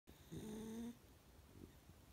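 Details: Sleeping pet dog indoors giving a single snore: a smooth, slightly rising nasal tone lasting about half a second, followed by quiet breathing.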